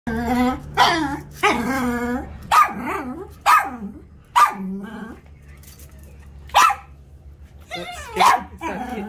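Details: Norfolk Terrier barking at a piece of foam it takes for a snake; sharp harmonic barks and yips come in bursts, some close together, mixed with a person's voice asking whether the foam is scary.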